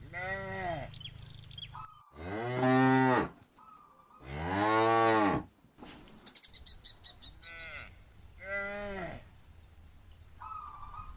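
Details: Hundreds of cows moving with their shepherd to green grazing fields, repeated deep, strong moos a second or more long, a rapid clattering rattle in the middle, then further softer moos.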